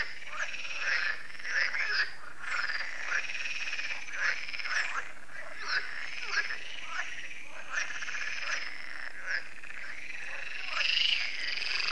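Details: Frogs chorusing at Lac de Sabatte, a lake in France, in the evening. Many overlapping croaking, rattling calls form a dense, continuous chorus with short bursts every second or so and a louder rasping call near the end.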